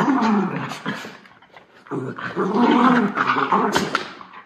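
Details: Two white Miniature Schnauzer brothers, Levi and Lucky, in Aroostook County, Maine, chase and play fight right after a haircut; low rough growls in two bursts with a brief lull, a person exclaiming nearby.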